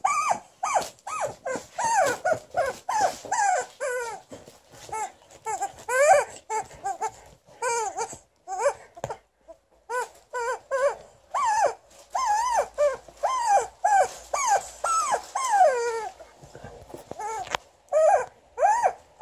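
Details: Liza the Alaskan Malamute protesting at her new chicken toy in a small room: a sustained stream of short, arching yips and whine-barks, several per second, pausing briefly midway, with occasional high squeaks.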